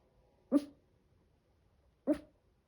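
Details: Seven-month-old Chihuahua puppy making a strange sound indoors: two brief, sharp, yelp-like bursts about one and a half seconds apart, each harmonic with a noisy edge, quiet room between them.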